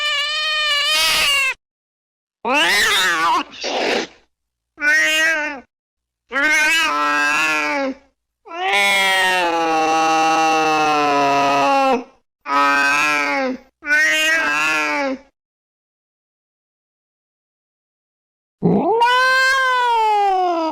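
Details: Cat sounds meant to drive off rats: a rapid string of loud, varied meows, some short and clipped, one long strained wail, then a pause before a final rising-and-falling meow.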